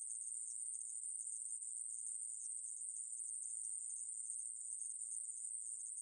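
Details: Conehead katydid from the National Institute of Biological Resources collection, 2020, giving a steady, unbroken, very high-pitched buzz that holds an even level for the whole stretch with no pauses and no other sounds.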